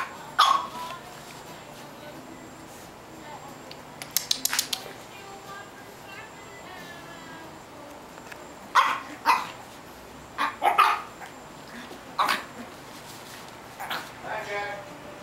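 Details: Foster puppy barking in short, high yaps scattered in irregular clusters, some in quick pairs, mixed with human voices talking between and over the barks, in a quiet indoor room.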